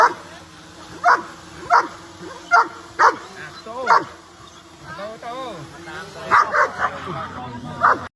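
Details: Playful dogs running about bark repeatedly in short sharp bursts, interspersed with higher whining, yelping sounds and murmured speech.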